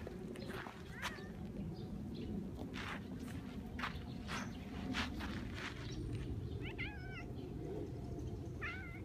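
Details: Red tabby cat in a park where rival cat families fight, having brought a hunted mouse as a welcome sign; brief, soft wavering meows near the start and two more toward the end, amid constant low background rumble and scattered clicks.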